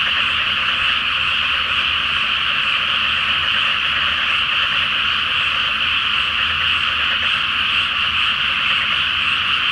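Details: Frogs in a large night chorus from a flooded rice field before planting, under a full flower moon; a dense, unbroken wall of overlapping croaks and trills fills the air without pause.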